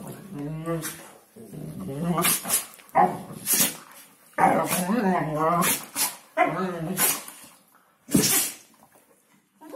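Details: Hungarian Vizsla from a kennel giving its New Year talk: wavering, yodel-like moans that bend up and down in pitch, several phrases separated by pauses and sharp clicks, a human voice faintly present.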